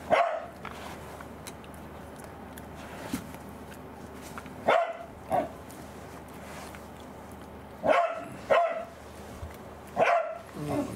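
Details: Angela, a pet Pembroke Welsh Corgi on anticancer drugs and with a poor appetite, barks in short bursts, paired at about five seconds and again around eight, then a single bark near ten seconds, over a low indoor hum.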